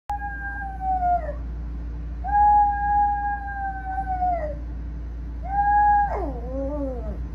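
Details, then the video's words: Domestic dog howling indoors while a cat jumps onto the bed and hugs him to quiet him: three long, steady, tonal howls, each falling at its end, with the last breaking into wavering, sliding notes and a low hum underneath. "Cat Jumps on Bed And Hugs Howling Dog to Shush Him"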